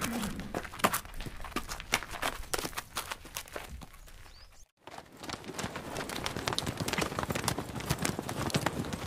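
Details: Horse hoofbeats from riding, running, galloping or walking: sharp irregular clip-clop strikes, quieter at first, then a brief cut near the middle, followed by a busier, denser run of hoof clatter.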